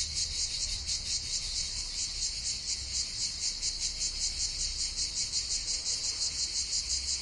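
A dense, steady cicada chorus of high, buzzy shrilling with a fast pulsing texture.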